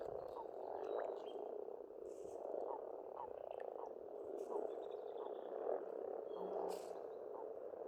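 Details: Frogs at a spring pond in Estonia give a continuous croaking chorus with small rhythmic pulses, accompanied by a few quiet bird chirps.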